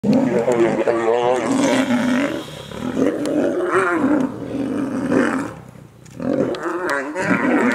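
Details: Wild male lions fighting over territory: harsh, rolling snarls and roars with throaty, wavering growls, loud and nearly continuous, dipping briefly twice.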